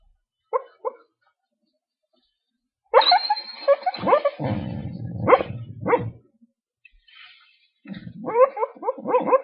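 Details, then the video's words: American Dingo dog dreaming while asleep in its crate: short muffled yips and whimpers, a burst of soft huffing barks and snuffling, silence, then more muffled yipping. "American Dingo Dreams"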